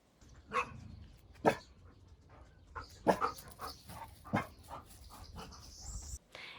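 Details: Dog giving short, quiet vocalizations, a sign it is unsure but curious, often used at the start of a warning or to ask a scary thing to move away; soft low huffs and brief barks at irregular intervals, about five over six seconds.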